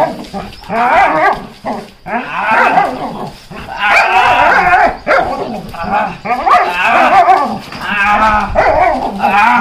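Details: Lucky, a Belgian Malinois in protection training, barks in rapid, harsh bursts almost without pause, loud and continuous for several seconds, with a handler's voice occasionally mixed in.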